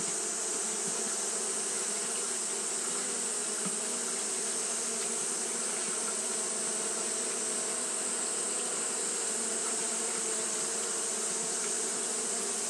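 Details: Japanese honey bees fanning continuously on a hot day, making a steady, dense droning hum that holds an even low pitch with a bright hiss above, unbroken throughout with no other clear sounds.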